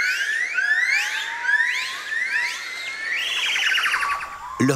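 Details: Yellow-cheeked gibbon (Nomascus gabriellae) family groups give loud, swooping whoops rising in pitch, a morning territorial call filling the Indochinese jungle canopy; the concert can be deafening.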